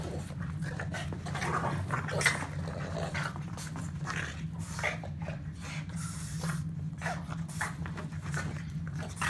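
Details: Boston terrier while playing: scattered huffing snorts and panting-like breaths, uneven in spacing and loudness, with one sharper burst early on, all above a constant low mechanical hum.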